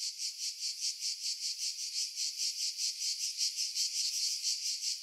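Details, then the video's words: Cicadas in pine woods 50 m above the sea, Pefkos Bay, Skiros Island, Greece, July 2018; a steady high-pitched rasping drone swelling and fading in quick even beats, nearly three per second. "Cicada Sounds, July 2018 Skiros, Greece"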